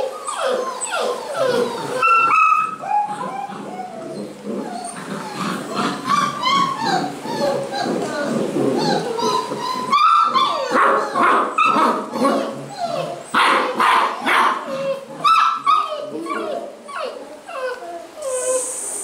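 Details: Basset Hound puppies at a kennel in Londrina, Paraná, Brazil, giving many overlapping high whimpers and short yips, rising and falling squeals in a steady chorus, with some human speech.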